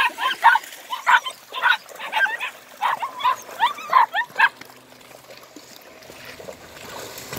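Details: German Longhaired Pointer puppies, eight weeks old, meeting water for the first time: a run of short, high whimpering yelps about every half second for four seconds, then quiet background with a man's encouraging voice nearby.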